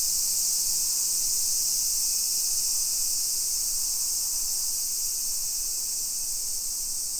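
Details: Summer cicadas singing in a hillside residential neighbourhood of Nisshin, suburban Nagoya, Aichi Prefecture, Japan, at 1 PM on 28 July 2021; a loud, steady, high-pitched hissing drone, unbroken throughout, with faint street noise beneath.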